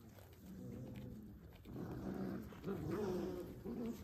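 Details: Kangal dogs at a breeder: low rumbling growls in the first half, then brief harmonic whines and whimpers rising and falling, with steady background hiss and a constant high tone.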